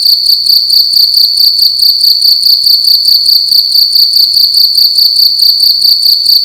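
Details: Cricket heard indoors at night, making a loud shrill sound: high, rapidly pulsed chirping that holds at one pitch and never pauses, faint low tapping in the background.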